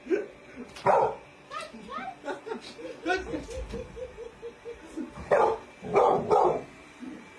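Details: Pet dog at home, barking in loud bursts near the start and again in a cluster of three toward the end, with a run of short soft yips between; people talk and laugh.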